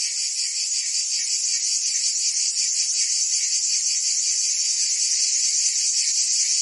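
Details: In Provence, France, cicadas sing on a summer day, producing a steady piercing buzz with faint rapid pulses, swelling very slightly toward the end, with no other animals or noises heard.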